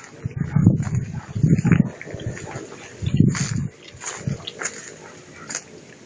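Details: Playing German Shepherd puppies give low, rumbling growls in three main bursts about a second apart, followed by quieter grumbles and light scuffling noises.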